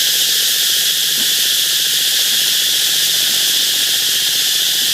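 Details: Steady wall of high, hissing cicada buzz from a canal in the Mekong Delta, even and uninterrupted, with a few faint low clicks in the background.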